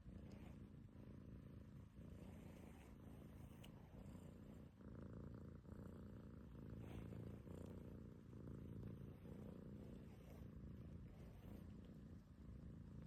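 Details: Pet cat, happy as its belly is touched, purrs continuously: a deep, even rumble that swells and eases with each breath, steady for the whole stretch.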